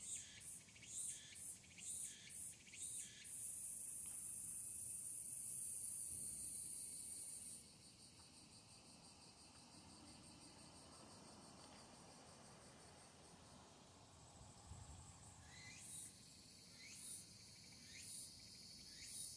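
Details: Tsukutsukuboshi cicada beginning to sing in the evening of 8 August 2022, early August: sharp high phrases repeated about twice a second, then a long continuous shrill buzz lasting several seconds, a quiet pause, and rhythmic phrases starting again.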